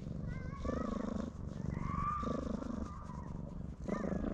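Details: Loud purring from a stray cat that keeps rubbing against a person's legs for attention, filmed with a GoPro HERO8: a throaty rumble pulsing in three long inhale-exhale bursts, with thin whistled tones, possibly birds, in the background.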